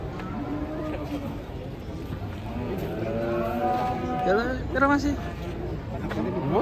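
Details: Fattened cattle unloading from a truck give drawn-out harmonic moos, the clearest swelling near the end, over a steady background of music and crowd noise.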